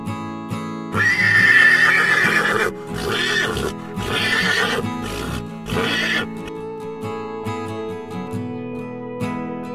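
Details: Horse neighing: a long, shaky whinny of about two seconds, then two or three shorter whinnies, all over steady background music.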